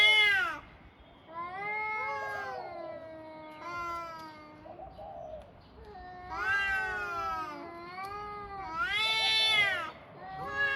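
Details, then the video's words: Two cats trading drawn-out, wavering meows and wails, some overlapping, with short quiet gaps between calls and the loudest cries near the end. "Two Cats Making Noises"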